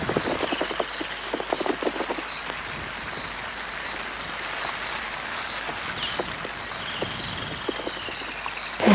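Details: A chorus of frogs gives short, repeated clicking and croaking notes, densest in the first few seconds, over a steady hiss of rain on a rainy African safari sunrise, 31 December; a woodland kingfisher also calls.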